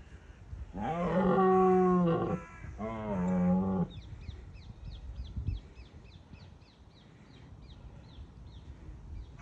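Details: Two back-to-back roars from a red deer stag in Bushy Park, rut season, a rival-deterring display: both coarse and droning, the first longer, followed by a quick series of high repeated chirps.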